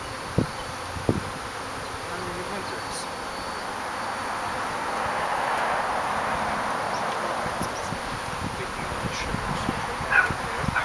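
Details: Newly delivered honey bees getting used to their new backyard hive with their queen, April 2, 2011; a continuous buzzing drone swells louder midway, with occasional taps and a faint voice.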